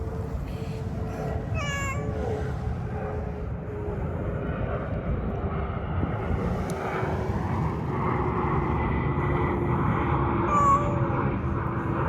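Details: Drowsy community cat gives two drawn-out, rising-falling meows with bright harmonics, the first around two seconds in, the second near the end, over a steady low rumble of traffic or aircraft.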